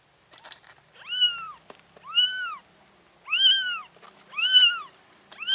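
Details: Mother cat carrying her four kittens to a new place; clear, loud meows, each rising then falling, five cries spaced about a second apart, with faint soft taps between them.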